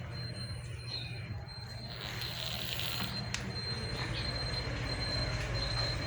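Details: Squealing train wheels over a steady low rumble, with a thin high whine running through and brief clatters, no animal voice.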